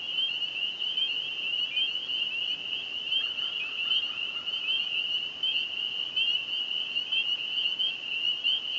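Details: Spring peeper frogs in full chorus at a small lake near Burwash, south of Sudbury, Ontario, on the evening of May 9, 2015; a steady wall of shrill peeps from many frogs, with a brief lower trill partway through.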